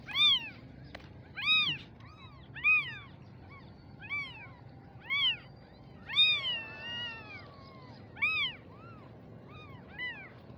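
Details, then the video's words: Young kittens call with sharp, arching mews at irregular intervals of about one to two seconds, one longer drawn-out cry in the middle, against faint low-pitched background noise. "Mini cute kittens baby meowing"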